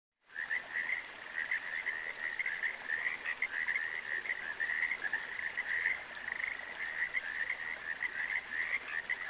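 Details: Frogs calling in a continuous chorus of rapid, rattling croaks packed around one mid-high pitch band, steady and unbroken for the whole stretch over a faint hiss.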